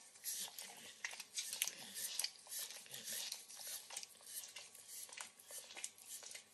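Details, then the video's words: Max, a 9-year-old Pit Bull dog, licks and nibbles an overcooked bacon treat in a kitchen: rapid, irregular wet smacks and crisp clicks, roughly 105 per minute, with soft crunching chews between them and no talking. "Max Licks & Nibbles Bacon | Dog Licking Sounds"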